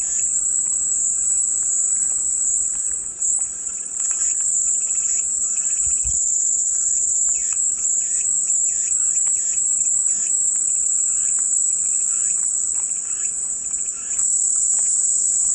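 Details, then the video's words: Soothing cicada sound presented as white noise, a continuous, very high, hissing drone that never pauses across the whole stretch, over soft scattered chirping of birds. "백색소음 마음이 평온해지는 매미소리"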